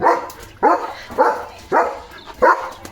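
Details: German Shepherd Dog barking loudly while playing and getting drenched in monsoon rain; five sharp, harsh barks spaced about half a second apart, each rising then falling quickly.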